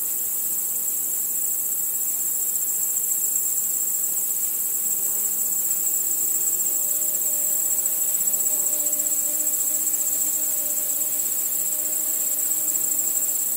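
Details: Crickets chirping at night under a starry sky: a dense, unbroken high shrill trill pulsing rapidly and steadily, with faint low tonal hums drifting in and out beneath it.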